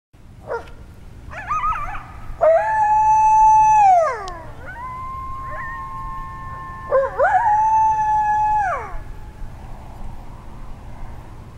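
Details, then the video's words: Coyotes howl at sundown in a canyon at King Gillette Ranch, long wavering tones that rise, hold steady, then slide down, with brief yips between; the animals unseen. "Coyotes Howling at King Gillette Ranch"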